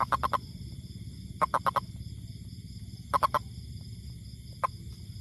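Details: Toad uttering short groups of three or four quick, sharp mid-pitched notes, then a lone note, with a continuous low rumble in the background.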